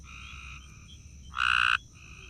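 A gray tree frog gives a loud, slow-pulsed musical trill lasting under half a second.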